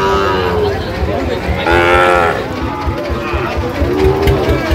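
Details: Young Sahiwal cattle at a crowded livestock market in Dhaka, Bangladesh, on 4 August 2025; two or three short, harmonic moos, one louder bellow near the middle, amid steady human chatter and bargaining voices.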